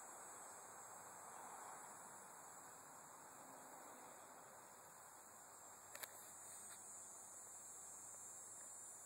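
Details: Dog-day cicada calling at the Bohemia Equestrian Center, Sycamore Avenue, Bohemia, New York, recorded 6 September 2012: a steady, unbroken high insect drone that holds level throughout, with a brief click near the six-second mark.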